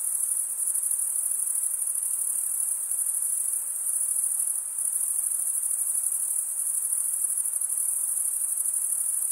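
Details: Steady high-pitched cricket chorus, made by males stridulating with their wings, rings on as a dense shimmering trill, with a slight momentary dip midway and no other sounds.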